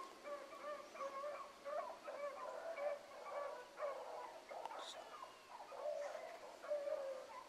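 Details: Several hound pups, Ringo, Mingo and Choco among them, running a rabbit in the morning; a distant pack bays in overlapping drawn-out tones that rise and fall continuously, faint against a steady outdoor background.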